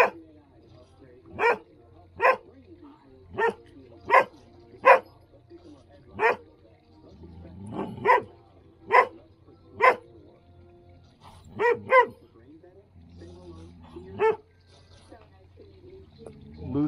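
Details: Standard poodles playing in the water on a hot day in Ketchum, Idaho; a long series of sharp single barks, some in quick pairs, about every second, with faint talking and low hum in the background.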